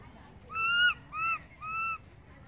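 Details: Infant monkey wailing for its mother after she moved away: three loud, flat-topped tonal cries in quick succession, each about a third of a second long, bright and whining over low background noise.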